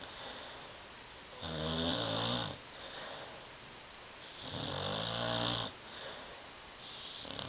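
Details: Sleeping on a love seat, Tyson the dog lets out two long, loud snores about three seconds apart, each a deep, rattling, harmonic-rich rasp lasting over a second, with quiet breathing between.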